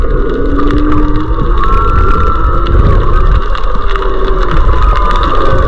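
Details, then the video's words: Maui humpback whales with fish in February 2023: a series of smooth sliding tonal calls, some low and upswept, others higher and wavering, repeating over a dense crackling underwater background. "Fish Mix, Maui Humpback Whales"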